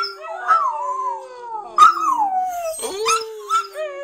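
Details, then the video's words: Two West Highland White Terriers howl together in long, wavering, sliding tones with sharp yelping breaks. "Lana & Kacper singing dogs"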